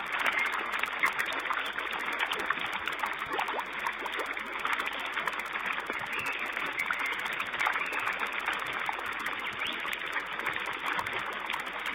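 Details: Steady rushing, trickling water noise fills the whole recording with no animal calls.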